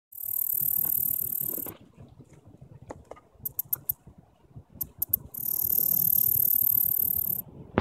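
A longhorn grasshopper gives very high, hissing buzzes lasting about two seconds, with brief ticking bursts between them.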